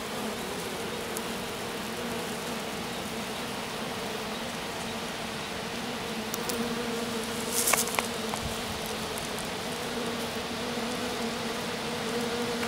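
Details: Honey bees of a small swarm resting in grass around a queen left behind by the departing colony; continuous low droning hum holding steady, with a brief burst of crackling near the middle.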